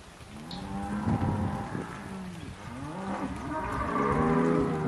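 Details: Cows in October 2023 lowing in several overlapping moos that slide up and down in pitch and swell louder toward the end.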